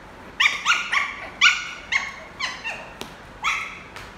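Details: Lhasa Apso puppy, a playful adopted male, invites play during a football game. A series of eight bright, squeaky yips with downward-bending tones spaced about half a second apart, plus one sharp click.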